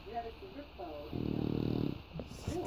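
An English Bulldog gives a low, rattling snore between stretches of a person talking quietly.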